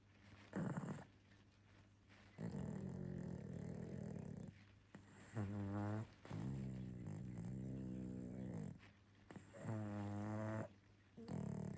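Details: Sleeping pug giving gentle snores and snorts: rough, throaty breaths in bursts lasting about one to two seconds, several with a rattling, buzzy pulsed texture, separated by short quiet pauses.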